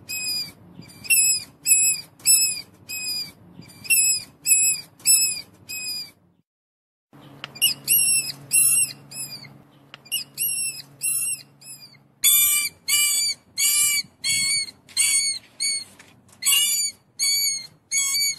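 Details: Long series of sharp, piercing mouse squeaks repeated roughly twice a second, pausing once briefly and then continuing, the later notes higher and more strained, over a soft low background hum.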